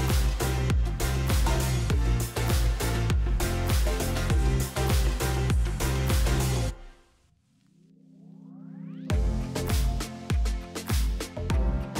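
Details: Loud electronic dance music with heavy bass and a steady beat, broken near the middle by a short rising sweep before the beat returns; no animal voice.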